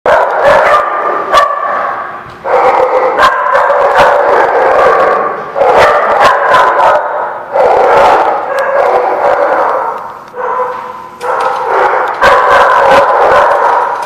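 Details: Dogs barking on November 21, 2016: dense, overlapping rough barks and yips from several animals, bursts coming several times a second with brief pauses between volleys, steady and loud throughout.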